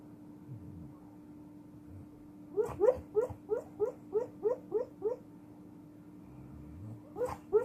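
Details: Sleeping pit bull giving a rapid series of about nine short, muffled yips in a regular burst, then quiet breathing, then two more yips, over a steady electrical hum.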